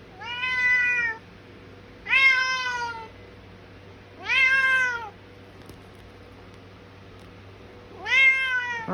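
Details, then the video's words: Bengal cat with its cat brother and sister at dinner time indoors, four loud shouting meows roughly every two seconds, each rich, harmonic and gently falling, with a continuous low hum in the background. "Feeding time (shouting meows)"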